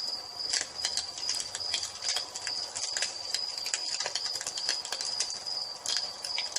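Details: Dusk cricket chorus next to a fireplace, with a sustained high, even trill and loud, uneven crackling of the fire, plus faint low thumps.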